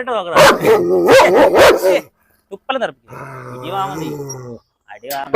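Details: German Shepherd unleashed at a house in Perumbavoor during a dog challenge. Around two seconds of loud, rapid barks with a deep growly edge, then a short pause and human talking, with more barking faintly under it.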